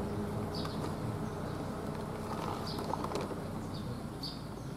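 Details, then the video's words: Bees at a large nest on the dome of the Riyadhus Shalihin mosque, Pesantren Al Binaa, on a Sunday morning: a dense, steady low hum throughout, with faint high chirps from birds above it. "Ada sarang lebah yang cukup besar di atas Kubah Masjid Riyadhus Shalihin"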